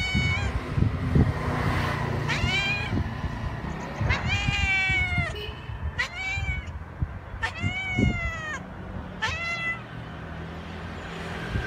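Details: Cat meowing repeatedly, about eight clear harmonic meows spread across twelve seconds, many arching up then sliding down, some drawn out, set against a constant low urban rumble with faint knocks.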